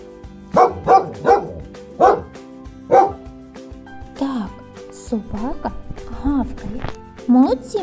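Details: Domestic dog barking, five sharp barks in quick succession over the first three seconds, followed by speech with music playing in the background.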